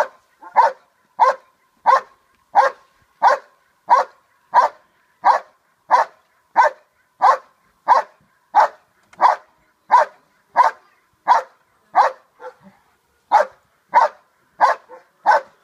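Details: Steady hold and bark from Che, a dog in Schutzhund protection training: loud, sharp barks repeated about every two-thirds of a second, very even in rhythm, with one brief pause near the end.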